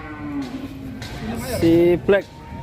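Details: Large black cattle in a farm shed in Indonesia, giving a short low moo with tonal harmonics, followed by brief louder bursts; background music and people talking.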